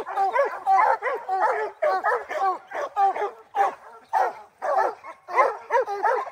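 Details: Rocky the hound at the start of black bear training season, July 2024, barking steadily and excitedly, roughly a hundred short, punchy barks per minute, some doubled, with brief uneven gaps between bursts.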